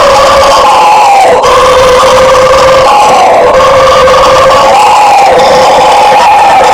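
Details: Loud, continuous roaring of bugio howler monkeys: coarse, layered droning voices with gently sliding pitch, one brief dip early on, otherwise an unbroken chorus.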